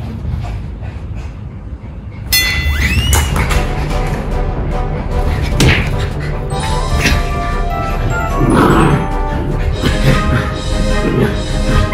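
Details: Music plays over loud thumps, whacks and crashing noises in a small room, with bits of speech and no clear animal voice.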